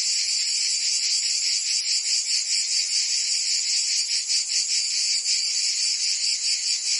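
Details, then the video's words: Cicadas on a summer day in Provence, southern France: a constant, bright electric buzzing chorus with a gentle, slightly uneven pulsing rhythm near two and a half beats per second. "Cicadas singing in France (Provence)"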